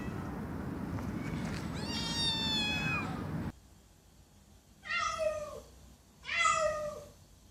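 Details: Loud meows from a cat: one long wavering call in a noisy room, then after a cut two clean, strong, slightly falling meows about a second and a half apart.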